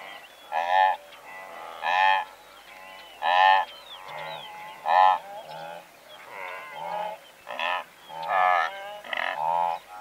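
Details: Blue wildebeest calling from a herd of several hundred, with zebra braying and larks singing also present: loud nasal honking grunts repeated about every second or two, overlapping calls from many animals, faint chirping birdsong between.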